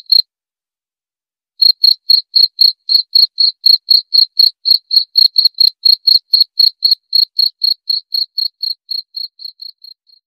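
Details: {'text': 'Cricket gives a lone chirp, falls silent for over a second, then resumes brisk chirps about four per second that gradually fade toward the end.', 'len': 25}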